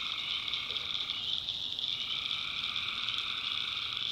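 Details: Tree frogs calling at night in the North Carolina backwoods swamp: a dense, unbroken chorus of shrill, buzzing trills layered at several pitches, steady throughout with no pauses.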